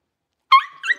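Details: Blenheim Cavalier King Charles Spaniel puppy from a litter of five, settling into a bigger pen, lets out one short, high yip that ends in a brief rising squeak.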